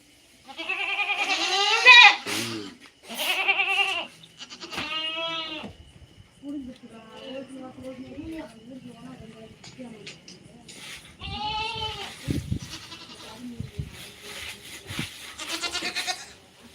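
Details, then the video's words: Native goats (naattu vellaadu) on a farm: several quavering, nasal bleats in bursts, two close together at the start, another near five seconds and more around eleven to sixteen seconds, with people talking softly between calls. "நாட்டு வெள்ளாடு"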